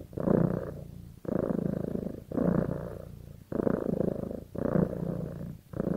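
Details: Domestic cat bonded with its owner purrs in clear rhythmic cycles, each deep rumbling surge lasting about a second, separated by brief quiet breaths and repeating roughly every two seconds.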